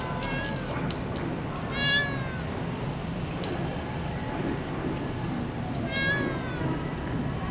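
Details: Chatty cat encountered in Tokyo, Japan, uttering two drawn-out, harmonic meows several seconds apart, the first wavering and the second falling slightly, against a constant low city hum.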